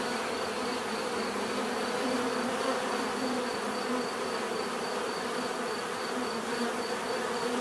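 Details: Natural buzzing of bees forming a dense, even drone, with low humming bands and small pitch wavers from individual insects passing, and a faint steady high whine above, constant for nearly eight seconds.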